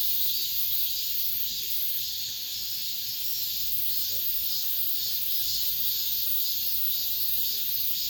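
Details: Cicadas heard in an apartment complex late in the summer, their shrill, steady buzzing forming a seamless wall of high sound with soft pulsing swells and faint low background murmurs.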